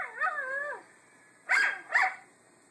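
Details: Indoor Miniature Schnauzer howling in reaction to another howling Schnauzer playing online: a short wavering, high-pitched howl, then two sharp yelping cries about half a second apart.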